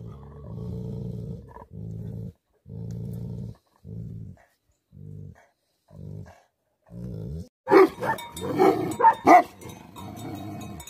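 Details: Tibetan Mastiff (Bhote Kukur) in an angry mood gives about seven deep, pulsing growls in a steady rhythm, then breaks into a rapid volley of loud, rough barks near the end.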